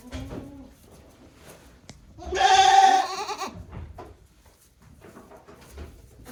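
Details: One-day-old goat kids on a small goat farm in Japan, 17 April 2024, giving a single tremulous, quavering bleat lasting about a second amid low rustling and faint background noise.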